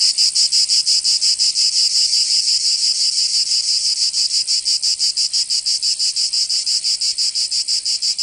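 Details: Summer cicada chorus from Provence in the south of France: an unbroken high-pitched rasping drone, throbbing quickly and evenly at roughly three beats a second throughout.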